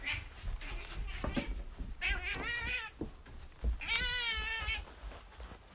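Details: Domestic cat meowing twice, each meow wavering and lasting under a second, amid clicks, knocks and other busy indoor background noise.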